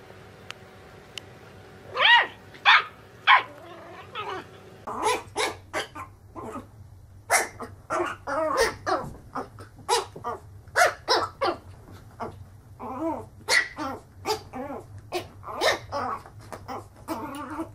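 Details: Puppies yapping and barking in a busy, overlapping stream of short, high calls. A few separate barks open the run, then it grows into steady rapid chatter.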